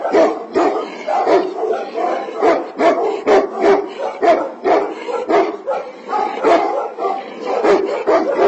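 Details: A Tibetan Mastiff, also called Himalayan Sheepdog or Do khyi, gives rapid, dense barking, several dogs' voices overlapping in a continuous, rough chorus of short woofs.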